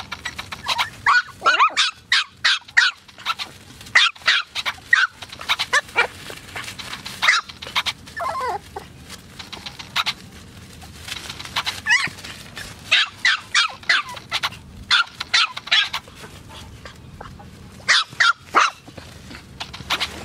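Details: AKC Poodles yapping in clustered bursts of rapid high barks, separated by short pauses, with a brief whining note midway, over a faint background hum.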